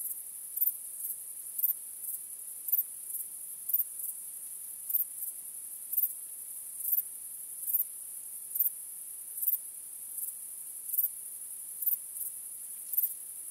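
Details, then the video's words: Night chorus of crickets under a starry sky: a continuous thin, high trill with regular sharper chirps rising above it about every second, some fifteen in all, over a quiet background. "Night Crickets Sound"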